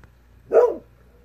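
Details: At twilight, Kohaku the Golden Retriever gives one slightly longer, full bark in reply to a faint distant fox, mid-pitched with some harshness and a brief fading end; a low steady hum underneath.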